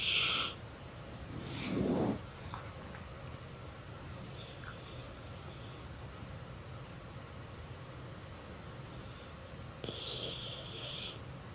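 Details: Sleeping dog Chuchay snores too loud: a few breathy, wheezing exhalations spaced several seconds apart, a short rough snort near the start, then a long quiet stretch before another hissing snore.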